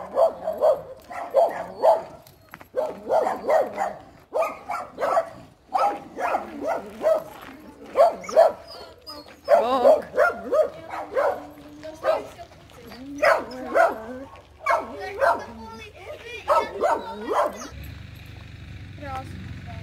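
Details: Nearly six-month-old Siberian Husky puppy, Blue Moon Lunation, vocalizing during a routine walk: rapid, yappy, tonal bark-yodels in quick clusters over about seventeen seconds, then a noisier hiss and rumble at the end.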